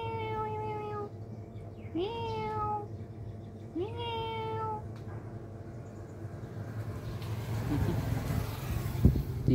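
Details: Three bright, rising-then-level meows from a kitten playing alone come close together in the first five seconds, then give way to rustling, clattering handling noise.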